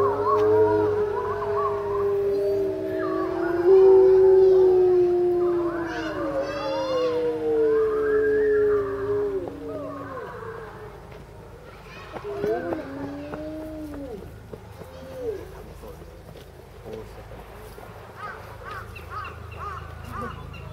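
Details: Captive grey wolves at Tama Zoo, Japan, in March 2016, howling lazily while lying down; a chorus of long, gliding howls slowly falling in pitch, then shorter rising-and-falling yips and wavering calls as the chorus fades out.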